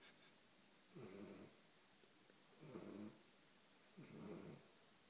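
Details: Sleeping Golden Retriever puppy, 13 weeks old, giving three slow, hoarse snores about two seconds apart, each a short rough buzzy breath separated by near silence.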